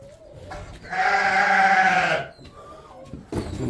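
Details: Domestic sheep on a homestead, being readied for loading and moving out as snow begins to melt; one loud, sustained harmonic bleat lasting over a second, with a person's voice faintly before and after.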